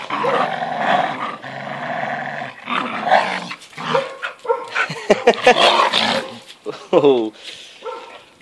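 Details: Older American Staffordshire Terrier Boss tugging against five-month-old puppy Rocky; rasping growls rising and falling in several-second pulses with a few sharp gruff bursts near the end, a man talking between them.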